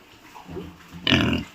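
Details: Duroc pig at a pig farm in Assam: soft low grunts build up, then a sudden loud harsh squeal bursts out for the final half second.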